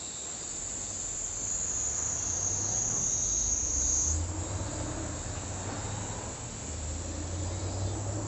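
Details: Kaempfer cicada producing a loud, sustained high-pitched buzz that stays strong for about four seconds before weakening to a softer drone, with a low rumble underneath.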